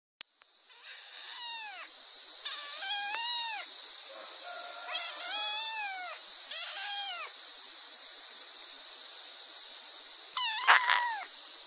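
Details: Kittens meowing in a rapid series of high, thin meows, each sliding downward, some overlapping, over a steady hiss, with a sharp click at the start and a louder cluster of cries near the end.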